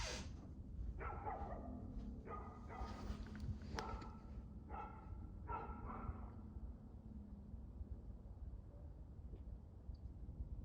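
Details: Recorded 2/6/2024 at 6:02pm, a dog gives a string of barks during the first six seconds, roughly one per second, against constant low-pitched background noise, then falls quiet.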